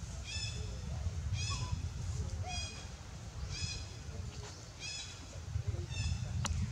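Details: Wild baby monkey named Lewis, in danger, screams loudly to call its mother for help: high-pitched, harmonic, slightly wavering cries repeat roughly once a second over a steady low rumble of background noise.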